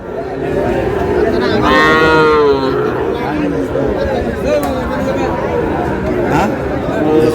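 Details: Sahiwal bull calves at a market in Chattogram, Bangladesh: one loud, rising-then-falling moo near the start, followed by fainter lowing beneath men's voices bargaining over price and busy crowd noise.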